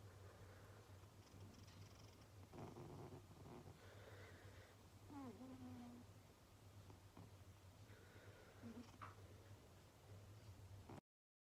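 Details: Sleeping domestic cat snoring indoors during homework time: a soft, steady low rumble runs through the whole recording, with brief faint higher squeaks and rustles around the middle and near the end.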